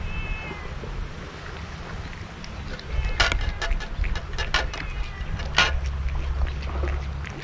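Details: A scarf-wearing stray cat on a Japanese cat island, being fed Kalkan and Churu, gives a brief meow at the start. Fainter vocal traces follow amid sharp clicks, rustling and a constant low droning hum.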